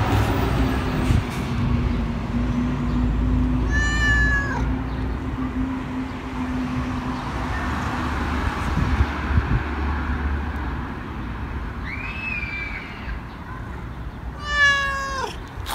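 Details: A stray tabby cat meows twice, once early and once near the end, short downward-curving cries, with steady engine hum and urban outdoor noise filling the gap between calls.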